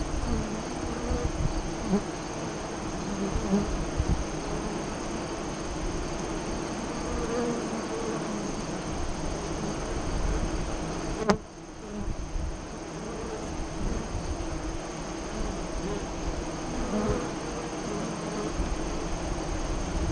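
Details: Steady low drone of honey bees at a hive entrance near Lyons, Nebraska, recorded during the August 2017 eclipse afternoon; continuous hum with brief passing buzzes and one sharp click midway.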